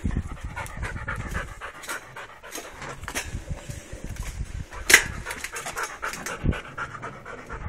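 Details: Steady rapid panting by a restless Labrador Retriever, hissy breaths in a loose rhythm, broken by a sharp click-like sound halfway through.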